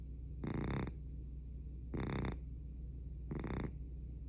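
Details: Sleeping domestic cat snoring remarkably loudly: three rasping, broadband snore bursts about every one and a half seconds, each roughly half a second long, with quiet breathing pauses between.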